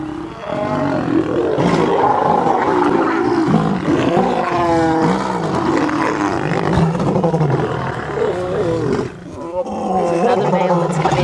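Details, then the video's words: Wild lions at sunrise on August 11: three intruding males clash with a pride whose females defend their cubs. Loud, harsh, continuous roaring and snarling with wavering growls, the din dipping briefly near the end before flaring again. "Birminghams And Nkuhuma have a ROARING fight"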